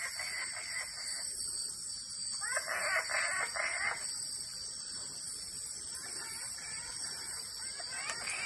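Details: Frogs called wood frogs, recorded on the banks of the Claudie River in the Iron Range rainforest, Cape York, give hoarse, clucking calls in quick bursts, like quacking ducks.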